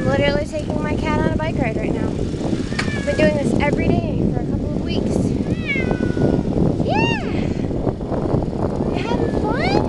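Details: Ragdoll kitten named Punkin riding along on a bicycle, not liking it when going fast; repeated rising-falling mewing cries, several in quick succession, over steady wind and road rumble with a person talking.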